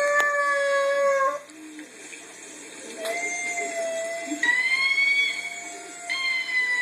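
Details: Bambi, a pet Chihuahua, howling at a recording of herself: drawn-out tonal howls, some held steady, others rising slightly, broken by short pauses, with faint background sounds.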